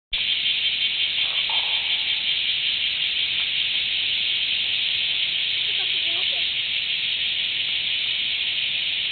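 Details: A bear cicada, recorded on 23 July 2011, gives a loud, unbroken, high-pitched buzzing song that fills the whole recording.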